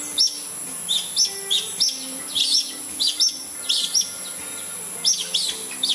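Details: A family of Palawan red-tailed tree squirrels in a bamboo grove raising a fuss, perhaps over a predator bothering their nest; shrill chirps in short bursts, roughly two per second, over a constant high-pitched background hum.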